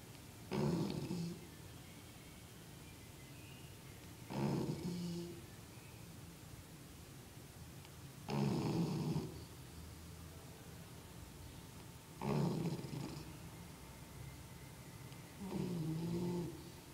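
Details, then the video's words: Perla, a pet dog, snoring during an afternoon nap: five low, rasping snores at roughly four-second intervals, each a short rough burst with deep grumbling tones, separated by quiet breathing pauses. "Perla roncando"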